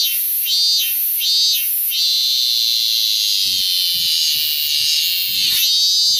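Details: Cicada calling: loud, shrill buzzing in short pulses about twice a second, then merging into a steady unbroken drone with a brief swell near the end. No other sounds stand out.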